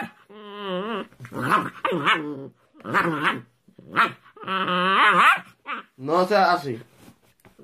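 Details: Puppy barking and whining indoors: a run of short, high, tonal yelps and wavering whines in bursts of under a second, some rising and falling, with brief pauses between.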